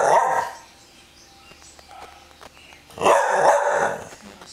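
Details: Bull terrier barking and growling: two loud, harsh barks roughly three seconds apart, each a short rough burst, with a quiet pause between.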